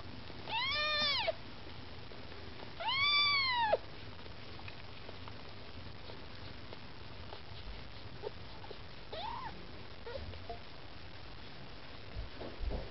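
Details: Maine Coon kittens, with their mother Lakshmi nearby, trying to get food indoors. Two loud, drawn-out meows that rise and fall come early, then a few fainter, shorter mews follow later against a quiet room background.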